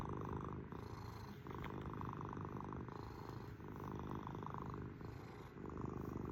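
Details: Pet kitty cat purring continuously, a deep vibrating drone that alternates between inhale and exhale phases about once a second, with brief softer dips between breaths.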